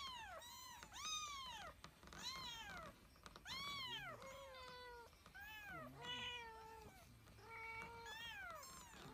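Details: White cat indoors giving a run of loud meows, each an arching rise-and-fall cry, about eight of them in nine seconds with short pauses, some longer and drawn out, a few shorter and clipped.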